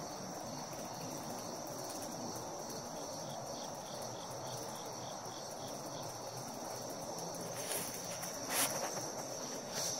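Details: Cicada found and played with by a Siberian Husky: a steady high-pitched buzz with faint pulsing beneath, over broad rustling noise and a few sharp clicks near the end.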